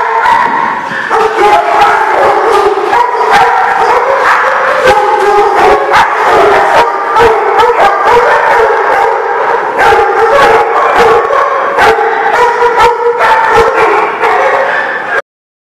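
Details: Many dogs at a dog lot on 19 August 2016 keep up a dense, continuous chorus of overlapping barks and yelps with howl-like tones, loud and unbroken for about fifteen seconds before stopping abruptly.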